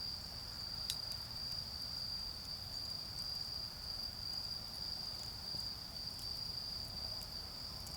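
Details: Autumn insects sing at night by a garden bonfire, a steady high trill that wavers slightly in strength, with crackling wood and a low murmur in the background.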